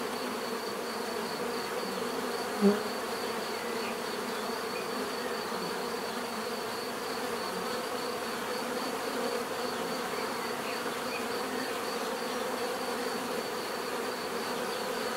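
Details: Many bees humming constantly outdoors, a thick even drone with a faint high whine, one brief sharp click near the start standing out above the steady buzz.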